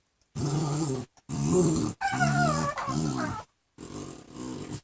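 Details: Two small dogs, a chihuahua-pug cross and a pug cross, playing indoors and making odd noises: rough, throaty play growls in bursts of about a second, one rising into a whiny, wavering moan.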